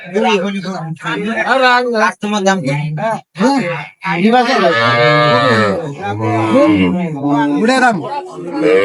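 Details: Cows with calves offered for sale at Ambari cattle market (hat) in Dinajpur on 23 May 2025. A long, loud, drawn-out moo with rich harmonics rises and falls mid-clip, mixed with men bargaining over the price.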